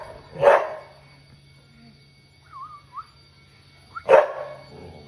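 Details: White female Labrador Retriever, kept as a pet, being over-dramatic in a 'conversation' with her owner. Two loud, short, whiny bark-like yelps come at the start and end, with a thin wavering whine between them, over a low room hum.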